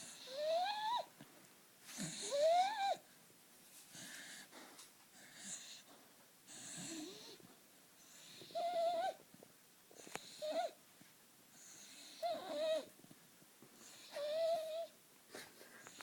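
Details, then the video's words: A sleeping dog snoring in bursts about every two seconds, each breath carrying wheezy, whistled tones that rise and bend in pitch, with quiet gaps between breaths. "Dog sleep snoring"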